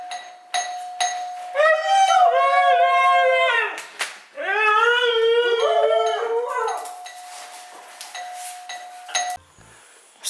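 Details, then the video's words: A 'talking' dog answers a doorbell with two long, wavering howl-like phrases, each lasting about two to three seconds, sliding up and down in pitch with rich overtones; a steady tone runs underneath, and a few sharp clicks are heard. "The Talking Dog and the Doorbell"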